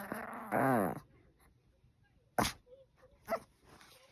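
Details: A Maltese gives a high, wavering whine, then short sharp huffs, asking for its toy to be thrown and making a pitiful face; a playful, spirited dog.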